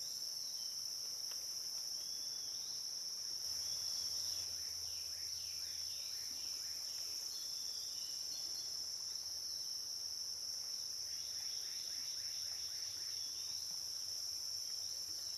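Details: Cicadas sing a steady high buzzing drone on the Licking River at Morning View, recorded dusk to dawn, as a bird adds bursts of quick repeated chirps in the middle and near the end over a soft low hum.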